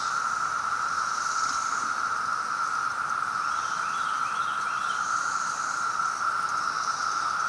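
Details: Periodical cicadas of Brood X in Maryland, 2021, in a massed chorus: a steady, unbroken droning whine that holds one pitch throughout, with cicadas flying past.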